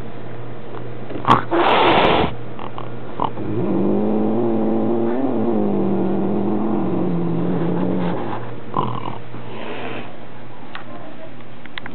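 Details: Indoor male Maine Coon objecting to a new kitten visiting his home, captured on a Minolta Dimage XT: a low, drawn-out, slightly wavering moan lasting about four seconds, surrounded by bumps, rustling and handling noise.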